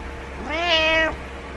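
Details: Male pet cat meowing each morning, jumping onto the bed to wake its owner because it dislikes being alone; one clear, drawn-out meow of about half a second that rises and then holds steady in a quiet room.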